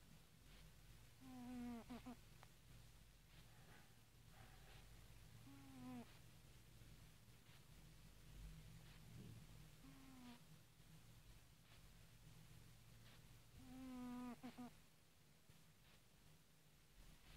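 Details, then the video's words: A cat that has fallen asleep snores softly, each low, buzzy breath carrying faint harmonic overtones, recurring roughly every four seconds over a steady low hum in a quiet room. "Кот храпит"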